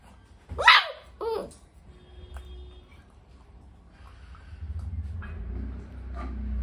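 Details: Labrador plays with two German Shepherds in Shillong, Meghalaya. Two quick, sharp barks come early, followed by quieter scuffling and low rumbling noise.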